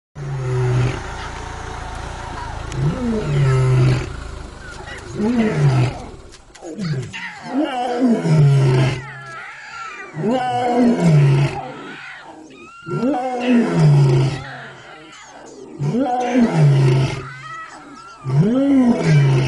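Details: Lion cubs trying to roar like their father, producing hoarse, arching moans that rise and fall, repeated every two to three seconds in uneven bouts, with rough noisy bursts between them.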